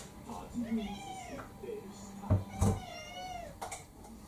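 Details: Kurumi, a ginger tabby mixed-breed cat about four years old, demanding her dinner at home: a string of arched, harmonic-rich meows, each under a second, with human voices and sharp knocks between them.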